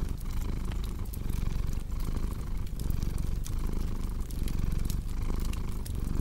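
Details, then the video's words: Low rumbling cat purr pulsing in breath-length waves, partly masked by dense crackling and popping from an open fire. "Purring Cat with Cozy Crackling Fireplace Sound"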